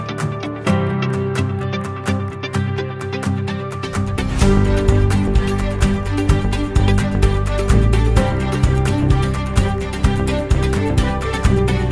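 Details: Loud instrumental music with a steady driving beat and no animal sounds.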